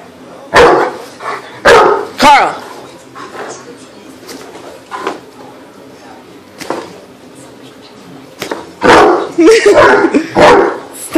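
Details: Male Great Dane and Akita mix barking at night, upset at not seeing his best friend; loud, harsh barks in two bursts, three early and a cluster near the end, with a woman scolding him between them.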